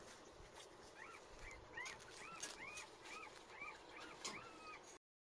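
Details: Puppy whimpering: a series of about eight thin, arched whines, each rising then falling, repeated roughly every half second over a steady hiss of background noise.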